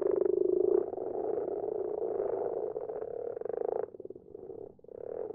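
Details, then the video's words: Common frogs calling at night from a garden pond: a dense run of low, grating, pulsed croaks from several animals. The sound thins and wavers after about four seconds, then swells again. "Bruine kikkers in de vijver."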